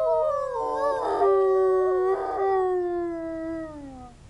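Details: Zoo wolves, set off by sirens in the distance, give long, smooth howls that waver and slowly slide downward in pitch.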